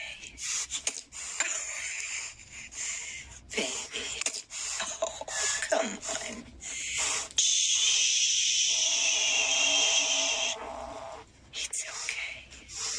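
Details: Angry kittens hissing: short breathy hiss bursts and a few rising and falling mews, then one long harsh hiss of about three seconds, followed by more brief hisses.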